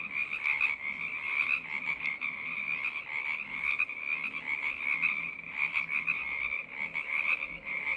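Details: A choir of frogs calls in a thick, high, ringing trill that never stops, overlapping voices pulsing louder every second or two, with a few faint clicks mixed in.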